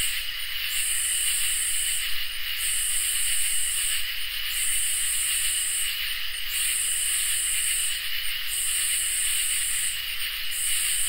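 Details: Crickets and katydids singing through a summer night. A shrill, even trill persists throughout, overlaid by loud buzzy high-pitched phrases that repeat regularly about every two seconds, six in total, in an otherwise quiet setting.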